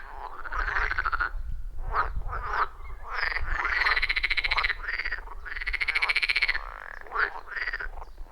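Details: Loud, rhythmic chorus of wild frogs around a forest pond, iPhone 14 Pro with Shure MV88+; long buzzy, vibrating croaks with rising tones alternate with short rattles, several frogs overlapping, low background rumble.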